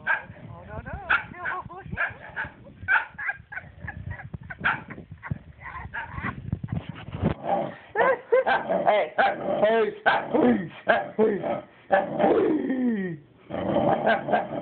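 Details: Jealous dog protesting while its owners pet the cat: a long run of strange talking noises, wavering, rising and falling whines and grumbling yowls, busiest and most tonal in the second half, with faint human voices underneath.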